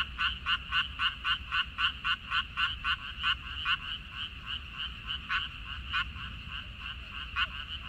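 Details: Frogs in a water dropwort (minari) field, recorded 14 May 2021: loud, crisp croaks pulsing about four times a second in a steady, fairly even rhythm, with fainter frogs calling behind them.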